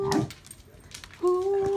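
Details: A corgi, prompted by a person to sing, gives a sustained, steady howl, a clear singing note with bright overtones, and is praised after.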